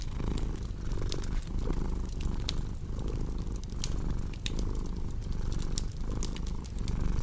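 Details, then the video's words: Purring cat, low vibrating rumble in rhythmic breath cycles of roughly one second, with scattered bright pops and crackles of burning wood throughout. "Purring Cat with Cozy Crackling Fireplace Sound"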